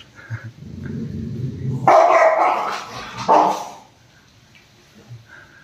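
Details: Roxy, a Rottweiler worked up into anger against its owner: two loud, harsh barks about a second and a half apart after a low growling rumble, then near quiet.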